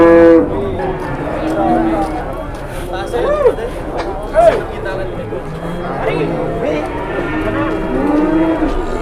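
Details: Lowing of a large 826 kg cow in Indonesia, low drawn-out moans half-buried under lively chatter from a crowd of people talking nearby.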